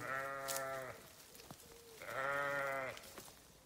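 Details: Sheep giving two loud, drawn-out bleats, each lasting about a second with a rich, steady, nasal harmonic tone and slight waver, separated by a short pause holding a faint thin call and soft knocks.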